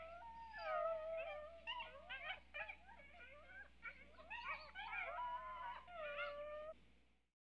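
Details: Several coyotes howl and yip at once, tangled rising and falling wails broken by short yelps, the chorus swelling and fading before a sudden cut at the end.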